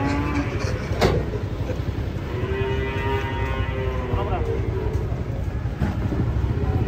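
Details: Cattle being unloaded from a truck; a drawn-out, arching low moo rises and falls near the middle, set against constant heavy engine-like rumble and background noise, with a brief sharp knock early on.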